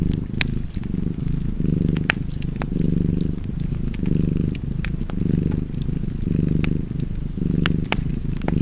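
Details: A house cat purrs contentedly near a fire, the low vibrating drone rising and falling with each breath at a steady rhythm, while firewood crackles and pops sporadically in the background.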